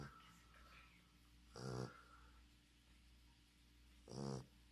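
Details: Sleeping English Bulldog snoring: two soft, rasping snorts about two and a half seconds apart over a quiet, steady background hum.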